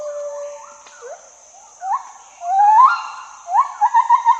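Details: Gibbon calling: scattered rising whoops, some sliding upward, ending in a quick wavering trill of short repeated notes, over a steady high insect-like hiss.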